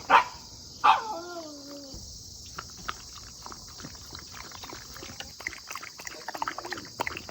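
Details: Shiba Inu waiting for food, fed soft dog food; two sharp yelps open into a long falling whine, then quieter rustling and soft movement sounds with a faint steady hum.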